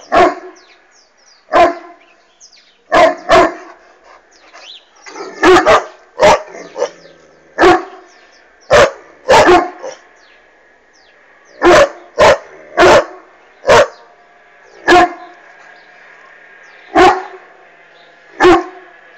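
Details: Irish Wolfhound named Bastian barking at a flying hot air balloon: deep, loud single barks at irregular intervals, some in quick pairs, roughly fifteen across twenty seconds, over a faint steady background hum.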